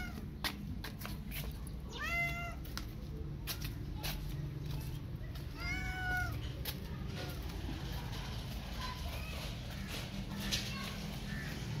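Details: Disabled street cat named Hope, mother of newly born kittens rescued after three hours, now kept and nursing two surviving kittens; two clear, drawn-out meows a few seconds apart, among clicks, handling noises and a steady low hum.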